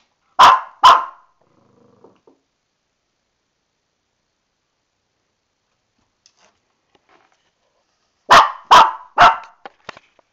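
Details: A female Shih Tzu in a bathtub gives sharp, high barks in two quick bursts separated by a long silence, apparently mad because she knows she's getting a bath and can't get out of the tub.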